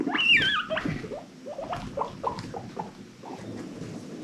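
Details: Pet guinea pig from an adopted rescue herd, happy wheeking: one shrill, high squeal sliding down in pitch, followed by a string of quieter short squeaks and soft shuffling sounds.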